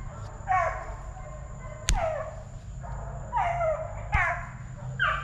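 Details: Plott Tan puppies, offspring of a Plott hound and a black and tan coonhound, eight weeks to five months old at TTG Kennels, yelp in short downward-sliding cries about every one and a half seconds, with sharp clicks and low hum.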